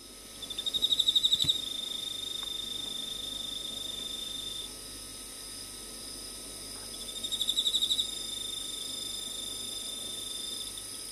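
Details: Emma field cricket, Teleogryllus emma, giving two short bursts of rapid, pulsed, high-pitched chirping trill, each about a second long and several seconds apart, over a steady thin hiss of constant high insect buzzing.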